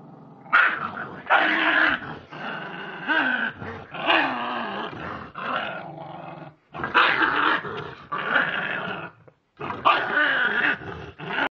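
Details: Continuous, gravelly growling from a West Highland White Terrier, described as nice-natured. The growls rise and fall in harsh, snarling surges with only two brief pauses.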